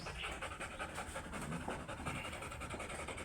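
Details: Oversize chocolate Labrador Retriever during a stud session at Rosales, Pangasinan: steady breathy panting, soft hissing pulses repeating roughly 107 times a minute, fairly loose in rhythm, over a broad noisy background.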